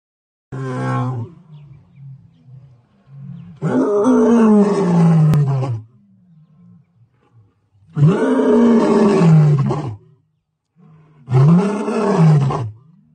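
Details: Lion roaring: four long, deep, moaning roars, each about one to two seconds, rising then falling in pitch, separated by quiet pauses with faint low rumbling between them.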